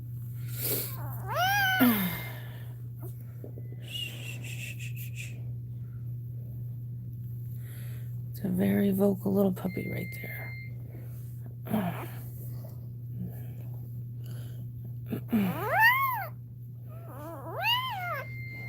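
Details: Cane Corso crying during Cashmere's labour in a small room: sharp rising-then-falling whines, a cluster of softer ones midway, and a pair of loud arched cries toward the end over a steady hum and brief human voices.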